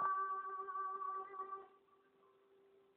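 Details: A short sustained keyboard chord rings out and fades away, with no animal sound present.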